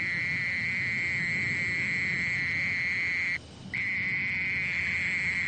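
A mole cricket sings a steady, unbroken high trill with one brief pause.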